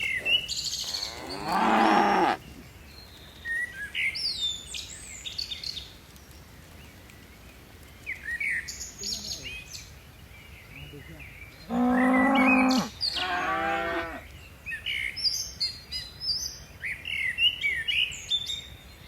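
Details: Dozens of tame cattle leaping down a mountainside; a harsh moo early on, then after a long stretch of bird chirps two more moos close together, the first steady and loud, the second wavering.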